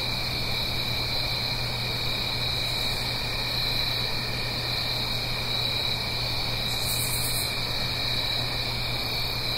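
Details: Crickets singing on an autumn night in the Blue Ridge Mountains, uphill from a gentle stream: a continuous, even, high-pitched trilling chorus in two steady bands, over a low constant hum, with a short hissy burst near the end.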